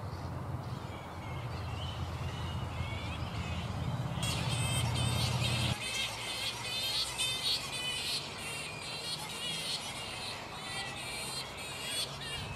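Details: Pteropus alecto, the black flying fox, restless in its roost mid-morning: after a low rumbling start, a burst of loud, harmonic, wavering screeches runs almost continuously, overlapping from many animals.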